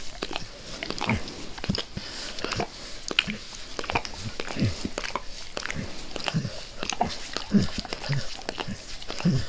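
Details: A dog named Max eagerly licking a person's face in a small room, producing rapid sticky slurps and tongue clicks, several per second, alongside faint low breathy snorts.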